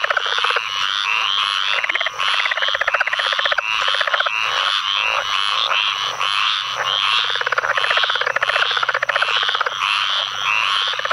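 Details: Southern leopard frog in a storm-flooded North Carolina field, May 2015, producing repeated short chuckling rattles roughly every second amid a loud, unbroken mixed chorus of further leopard frogs, squirrel treefrogs and pine woods treefrogs.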